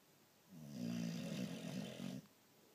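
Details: A boxer dog fast asleep gives one long, vibrating, low rumbling snore lasting under two seconds, fluttering and grating, inside a quiet room.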